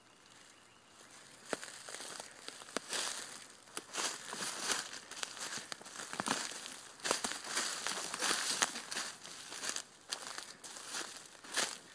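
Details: Only crunching footsteps and crackling brush and leaves can be heard, with no clear animal calls.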